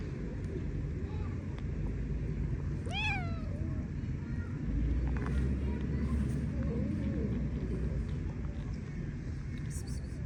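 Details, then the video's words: Stray cat on an Istanbul street in Turkey, asking for affection: a single clear meow near the three-second mark, rising then sliding down, over constant low traffic rumble and faint street noise. "Stray Cat Asking For Affection In A Cute Way (Cutest Meowing)"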